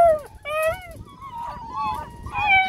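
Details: Several vocal eight-week-old Bluetick Coonhound puppies outdoors give overlapping whiny howls. Short bent wails are followed by longer wavering notes, with a woman praising them softly in the background.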